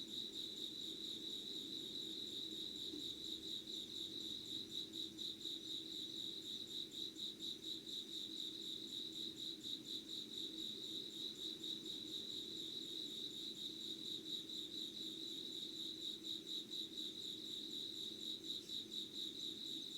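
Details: Insects calling at 5:00 on 25 August 2019 in an unedited candlelit recording: a sustained shrill chorus with fine regular pulses, about two beats a second, holding steady throughout over a faint low drone.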